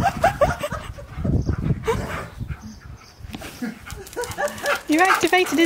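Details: Excited Siberian Husky Key, reunited as a birthday surprise on April 2nd with best friend Sherpa after three months apart. Quick warbling, up-and-down whines and yodel-like cries come again and again over overlapping happy human chatter.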